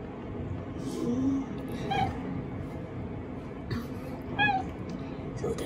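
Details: Affectionate black-and-white cat ambushing someone fresh from the bath: two short, high, ringing meows about two seconds apart, each with bright overtones, plus a softer lower murmur earlier and a constant background hum.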